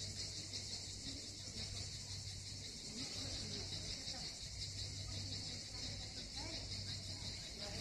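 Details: Cicada song from Miskhor harbour, Yalta, southern Crimea: an unbroken, bright, sizzling buzz carried over a constant low hum, with faint chatter of people nearby.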